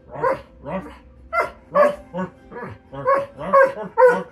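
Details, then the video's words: Loki the dog singing in a chatty string of short, rising-and-falling harmonic yowls, about two a second, some clipped and some drawn out. "Loki singing"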